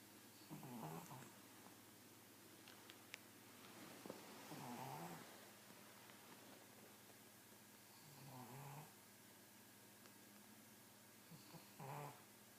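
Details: Pug snoring in its sleep, with uneven, raspy snorts and wheezy breaths at irregular intervals, some faint clicks and rustling between them.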